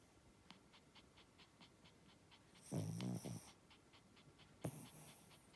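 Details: A Spitz asleep gives a long, low, fluttering snore lasting nearly a second, then a shorter, sharper snort, while soft, evenly spaced clicks tick through the quiet room.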